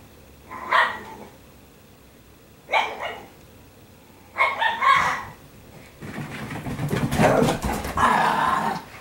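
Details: Italian Greyhounds indoors at home on laundry day, giving a few sharp barks spaced about two seconds apart, then a longer, noisier burst of barking and rustling toward the end.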